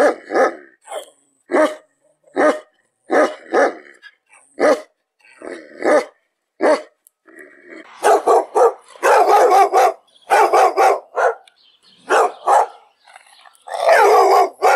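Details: Dog barking rapidly and excitedly, short harsh barks in quick irregular bursts that grow louder and denser toward the end, with some rough growling tones mixed in.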